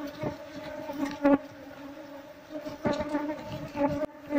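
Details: Wild Apis cerana colony in an old, neglected nest inside a traditional Seluma house, disturbed as beekeepers relocate it. A continuous low hum runs throughout, broken by occasional knocks and handling thumps.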